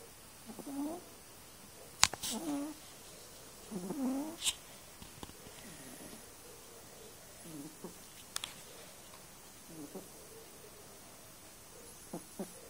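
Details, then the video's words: Snoring from a sleeping cat, with short nasal breaths roughly every two seconds, some carrying a faint whistling tone. A few sharp clicks and knocks are heard between them. "snoring cat"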